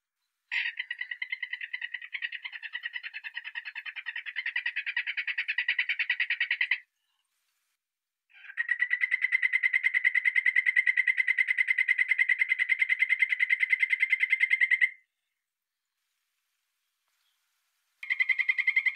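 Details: Poison dart frog calling in long, rapid trains of evenly pulsed chirps, each train lasting six to seven seconds with short silent gaps between, about three pulses per second, clean and without other sounds.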